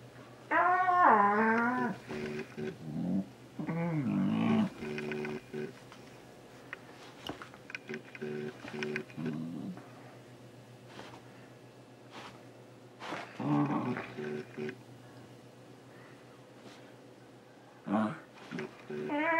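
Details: Lego, a male Shiba Inu almost two years old, goes after socks in a small room, letting out loud wavering yodel-like howls and grumbles in quick bursts, then tapering to scattered shorter whines and soft noises.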